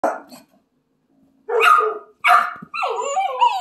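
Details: Great Pyrenees puppies, ten weeks old, giving a few short, rough barks spaced irregularly, ending in a wavering, whiny yelping howl.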